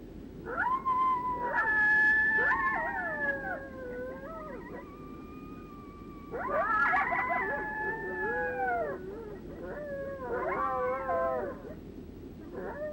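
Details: Several coyotes give a group howl, each making lone howls: long sliding wails overlapping at different pitches, believed to carry the same meaning as a lone howl.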